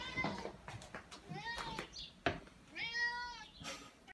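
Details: Tuxedo cat meowing at the door to go outside to the backyard, one short meow and a longer descending one mixed with clicks, taps and faint human voice, near the end a person moves to open the door.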